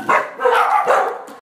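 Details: Brown dog playing with a blue ball rolls off a grey couch, giving three short, harmonic bark-like yelps in quick succession over about a second and a half.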